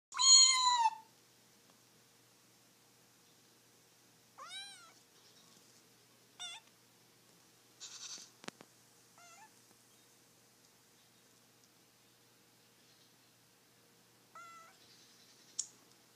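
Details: Cat meowing: a loud, high, falling meow to open, then a series of shorter, thin, rising-and-falling meows scattered over the following seconds, with quiet pauses and a couple of sharp clicks.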